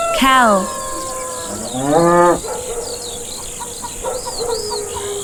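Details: Cow on a farm giving two moos: a short falling one at the start, then a longer rising low, followed by scattered high bird chirps and constant insect buzzing.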